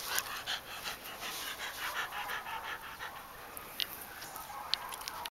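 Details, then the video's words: Bianco, a Clumber Spaniel, recorded on December 12, 2010, panting steadily: soft breathy huffs around three per second, evenly paced throughout, with a couple of brief sharp clicks near the end. "Bianco The Clumber Spaniel"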